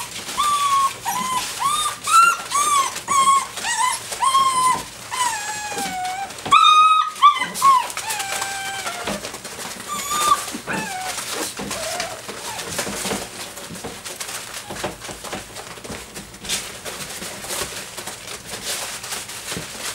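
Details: Doberman puppies aged six weeks and five days playing together with a flirt pole, giving repeated high whining yelps that rise and fall, many in the first ten seconds, then fading into scuffling and rustling play noise.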